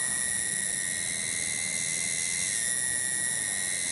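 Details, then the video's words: One cicada in a garden in Kampung Bunder, Cibening village, Bungursari, Indonesia, droning a steady, high, shrill whine without a break, a faint low hum underneath. "SORA TONGGERET DI KEBON"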